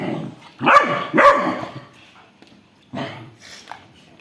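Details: Rottweiler and a two-month-old Labrador puppy fighting over a toy indoors: two quick loud barks about half a second apart, a pause, then a softer bark and a brief yip.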